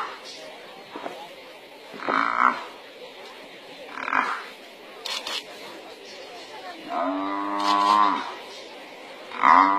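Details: An African buffalo, overpowered and being eaten alive by a lion pride that bites its worst wounds, bellows in distress, hoarse drawn-out moans repeated every couple of seconds, as another buffalo comes to its rescue.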